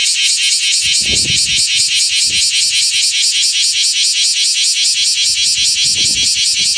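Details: A male bear cicada sings beside its shed nymph skin in Osaka in summer (July–August, morning), a loud, harsh, pulsing buzz beating about twice a second.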